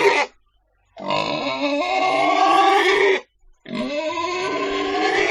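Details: Domestic pig letting out sustained, piercing squeals: a brief cry, then a steady harsh squeal of about two seconds and another that rises at its start, each with rich, buzzy overtones.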